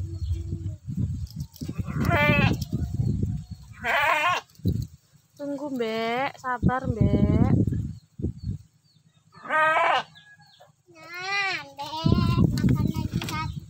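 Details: Sheep being fed bleat in loud, wavering, tremulous cries, several overlapping in short bursts, while people talk close by in Indonesian.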